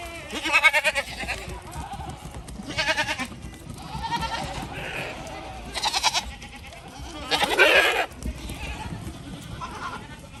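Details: Goats on a portable goat farm near a creek where beavers chew trees, calling loud, harsh, wavering bleats in separate bursts about every two seconds, several voices alternating, against quiet outdoor background.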